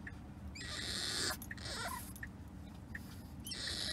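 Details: A French Bulldog puppy, unhappy during a car ride, whines in high, strained bursts over the low rumble of the moving car while someone reassures it.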